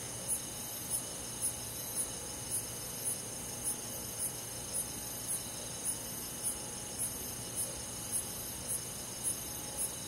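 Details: Summer night in a country forest: crickets chirp in high, clipped pulses about every 0.6 seconds, some seventeen over the stretch, backed by a steady ringing hum of many other insects.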